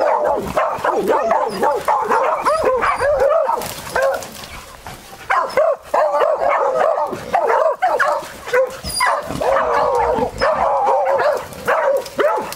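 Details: Beagle; baying; giving voice while hunting wild boar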